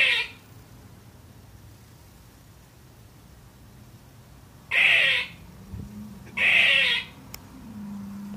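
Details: Baby squirrel, female, barking at nothing: a long quiet gap, then two harsh, noisy barks close together, with faint low background hum.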